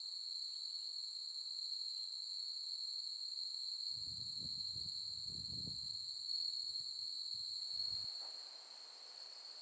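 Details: Autumn insects calling on a late-August 2021 night on the Soni Highland grassland with susuki grass in Nara, Japan: steady high shrill trilling in several stacked bands, with low thumping noises in the middle seconds.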